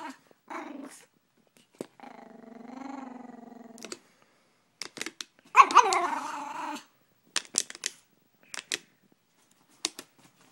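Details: Gracie, a Brussels Griffon, reacts to a water bottle she dislikes. She gives a low, drawn-out harmonic growl, then a loud burst of noise. Short clicks and brief sounds follow, and a person calls her name.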